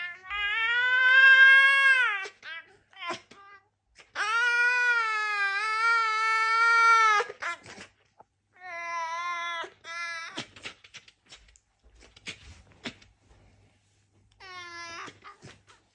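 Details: Red fox vocalising in long, harmonic-rich whining wails, some held steady for about three seconds, others rising and falling, separated by short pauses and a few clicks and soft thumps.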